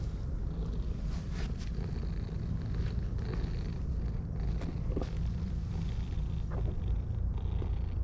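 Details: Two orange tabby cats, one dark and one pale, purring with pleasure while being stroked; a steady low rumbling purr runs through the whole recording, with light rustling and a few soft clicks on top.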